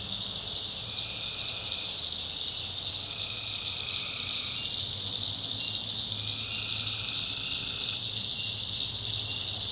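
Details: Swamp at night in North Carolina, where tree frogs give overlapping trills in bouts of one to two seconds while insects keep a steady piercing hum and a low murmur runs beneath.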